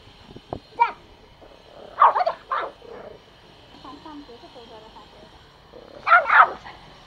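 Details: Pomo, a male toy Pomeranian born April 2017, kept as a pet in Kathmandu, Nepal, barks angrily while attacking: short sharp bursts in quick pairs, a lone bark, then a louder double bark near the end, with faint squeaky sounds between.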